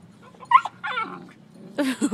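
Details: Beagle mother Mango playing with her four-month-old puppies on a beach in Costa Rica; short whining yips and whimpers in three quick bursts, the first rising and squeaky, the last broader and yelping, over a quiet background.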